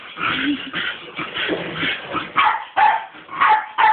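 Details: Female Staffordshire Bull Terrier reacting to a skateboard, unclear whether she likes or hates it; a run of short, yelping barks and whiny yips, several per second at first, then four sharper, louder bursts over the final two seconds.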